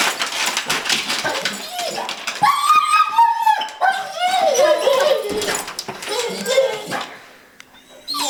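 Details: Dog so excited to go to the park that it shakes, giving high, wavering tonal whines that rise and fall in drawn-out, monkey-like sounds through the middle, with a person talking over it at the start.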